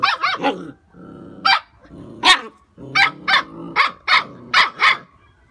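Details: A 2.5-month-old Phu Quoc Ridgeback puppy shows its hunting instinct with high, sharp yipping barks in quick bursts of two or three. Low growling rumbles between the barks.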